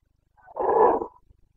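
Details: Rutting Carpathian stag in Bucovina's mountain forests, breeding season, 29 September 2022, gives a single deep, hoarse roar lasting about half a second that swells and then fades.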